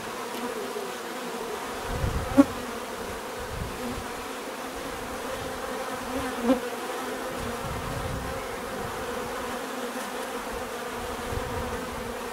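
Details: Natural buzzing of bees: a steady, layered hum of many insects, with a few louder passes by single bees near the two- and six-second marks, over soft low rumble.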